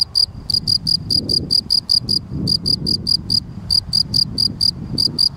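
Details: Gryllus campestris, the field cricket, giving steady bright chirps, each a short tonal pulse with higher harmonics, about four per second in groups separated by short gaps; faint low handling rumble underneath.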